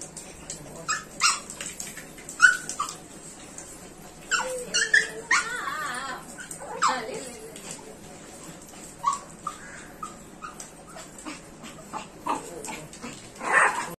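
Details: Chihuahua excitedly greeting its owner on returning home, giving high, wavering whimpers and short yelps in bursts across the recording, mixed with a person speaking Spanish.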